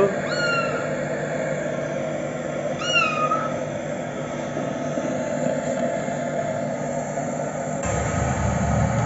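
A Siamese cat gives two short, high, clear meows, each trailing slightly downward.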